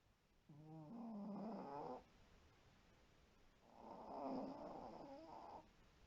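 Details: Shiro the white Pomeranian snoring in sleep indoors: two long droning snores of nearly two seconds each, rough and tonal with wobbling pitch, separated by a brief quiet breath.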